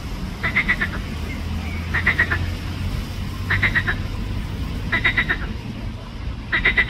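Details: Green frog of the genus Pelophylax, Ljubljana Botanical Garden, 31 May 2024, gives five evenly spaced bursts of quick rattling pulses, about one every one and a half seconds, over a low continuous hum.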